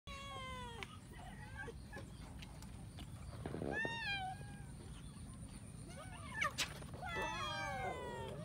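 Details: A kitten eating rice gives several clear, harmonic-rich meows: a long falling one at the start, a short arched meow near four seconds, and a cluster of wavering cries toward the end, over a steady low rumble and a faint high whine.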